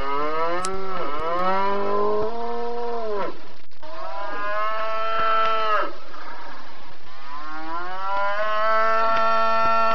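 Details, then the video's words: Cattle mooing, three long harmonic calls each about two to three seconds, steady then falling at the end, with short breaks between and a constant background hiss. "Suara Sapi dan macam-macam suara lembu"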